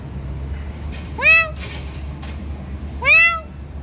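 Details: Cat with its kittens at feeding time: two short, rising-falling meows about two seconds apart over a steady low background hum, with a woman speaking nearby.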